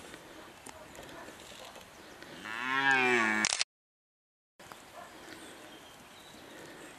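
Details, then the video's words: Red deer in the 2019 breeding season giving one rising, harmonic bellow lasting over a second against a hissy background, followed by a sudden break in the recording. "Il bramito del cervo"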